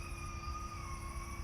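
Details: Coyotes calling at night in a pasture in Taliaferro County, Georgia, one of them close by, likened to little puppies: a sustained, slightly falling tonal howl with a higher overtone, over a steady insect chorus and a low hum.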